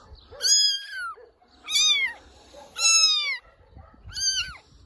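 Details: Helpless abandoned kitten discovered in wet grass by a shelter during rain, repeating four loud, high-pitched meows at roughly one-second intervals, each rising then falling, in a quiet setting.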